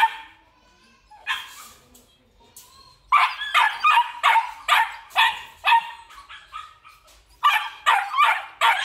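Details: Male Belgian Malinois, black and red-black coat, at a Vietnamese breeding kennel. A few faint sounds open, then loud sharp barks come in quick bursts from about the third second onward, roughly two or three per second, with short gaps between volleys.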